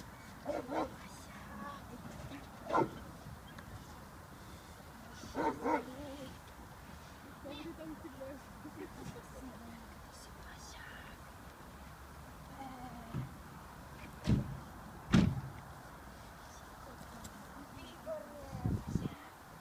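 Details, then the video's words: Six-month-old female American Staffordshire Terrier puppy during protection work with her handler: scattered short, sharp barks, a few clustered together, against a steady low background hum and occasional human voices. "American staffordshire terrier - puppy protection work"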